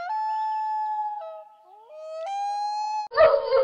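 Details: Male Rottweiler howling along with his owners, a habit picked up in the last year: long, steady, tonal howls with rich harmonics, dipping and sliding between notes, then a sudden harsher, noisy burst at the end.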